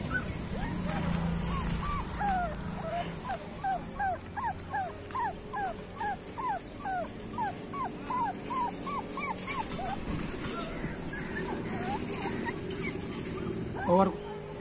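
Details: Several street dog puppies whimpering and yipping, a long series of thin rising-and-falling squeals about two or three per second that fades toward the end, with a steady background hum and a brief knock near the close.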